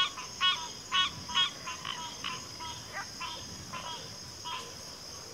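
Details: Several frogs call in a chorus, with honking croaks overlapping and crowding together as loud nearby calls give way to softer, more distant ones, all above a continuous high insect drone.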